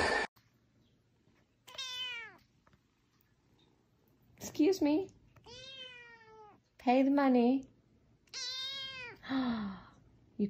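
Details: Kittens meowing, with four or five clear, drawn-out meows arriving every two to three seconds. Each rises slightly, then falls, and is separated by near silence. A human voice is heard briefly between the calls.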